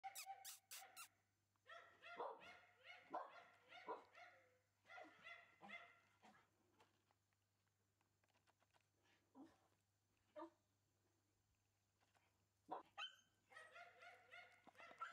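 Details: Shiba Inu puppy giving bursts of high, yappy barks in quick runs, with pauses and a few softer whimpering notes between the bursts, then a final cluster of sharp yips.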